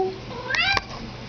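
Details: Pet cat answering a request to say hello with one brief rising meow, a sharp click in the middle, and a human voice just before and after.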